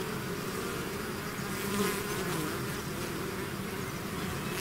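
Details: Many bees swarming out of a hive create an even, droning buzz, one bee passing close near the middle and briefly raising the hum.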